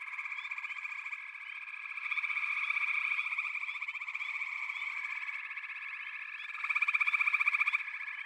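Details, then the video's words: Frog chorus: many overlapping, fast pulsed trills form a dense, steady buzzing wall of sound that swells louder around the middle and again near the end, with no other sounds. "Frog Chorus"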